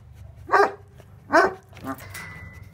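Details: Two Tornjak livestock guardian dogs (Bosnian Shepherd dogs) bark at an intruder they want to attack. Two loud, deep, harmonic barks sound about 0.8 seconds apart, then a fainter third bark, over a steady low hum.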